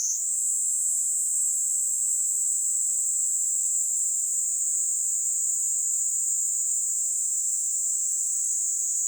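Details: Kaempfer cicada singing on a person's hand in Kanto, Japan, on July 26, 2022: a continuous, steady, very high buzzing drone with no breaks, loud and even throughout, with nothing else clearly audible.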